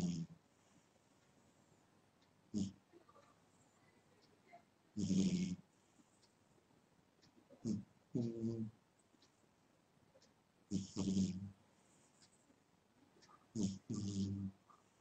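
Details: Pet cat snoring in its sleep, with uneven, throaty rasping breaths spaced a few seconds apart, some doubled, in a quiet indoor setting.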